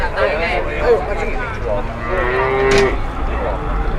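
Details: Market cow that caused a commotion by refusing to get up moos briefly, a short level bellow rising slightly then cut off, over crowd chatter and background rumble.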